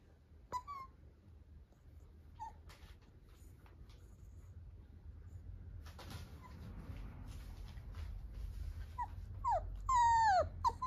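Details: Italian Greyhound puppy, a young female, gives a few brief sharp yips early on, then a quick run of high, wavering whimpers that rise and fall near the end, against a quiet low background hum.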